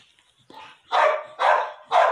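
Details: Female Pit Bull in her second heat, recently mated: three loud, full barks about half a second apart, preceded by a faint whine.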